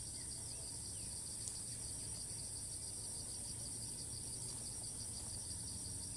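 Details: Cicada in Thailand, filmed from afar with a monopod, flying off repeatedly to new perches and resuming its call each time it lands; a steady, continuous high-pitched buzz with unbroken bright bands runs through the whole stretch over faint background noise.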